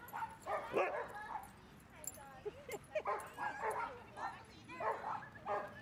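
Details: Dog at Seal Point Dog Park under overcast skies while dogs play together; short bursts of mid-pitched barking in uneven clusters, mixed with people talking nearby.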